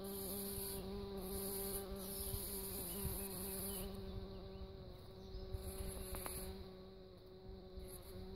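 A bumblebee drones with a steady, low, humming buzz that holds its pitch throughout.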